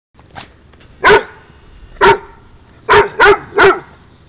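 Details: Pikanik, a dog, barks to invite play at Josh, who rolls on the ground: five sharp, loud barks, one single then a run of four closer together in the last half, over a quiet room background.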